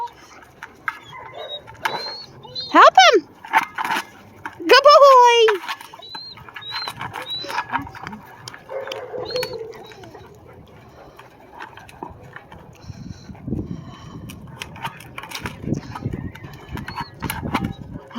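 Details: German Shepherd puppies Rebel and Rogue, learning to be with the pack, give two loud whining yelps that sweep up and fall back, a few seconds apart, while a person talks encouragingly throughout with scattered soft knocks.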